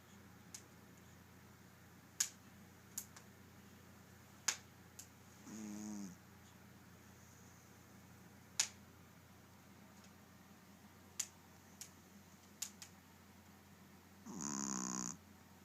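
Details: Maci the dog snoring indoors: two rasping, pulsed snores about nine seconds apart, each under a second long, with scattered sharp clicks and snaps between them over a quiet room hum.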